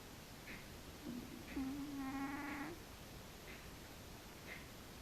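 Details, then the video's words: A single whistling snore from Frici, a sleeping cat: a low, slightly wavering nasal tone lasting about a second, framed by soft faint ticks in an otherwise hushed room. "Frici cica horkol :D Cat snoring by Frici :-D"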